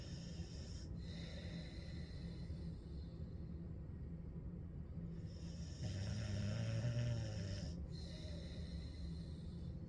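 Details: Dog named Ellie snoring on a hot day: soft breathing under a constant low droning hum, then one louder, drawn-out rumbling snore lasting about a second and a half.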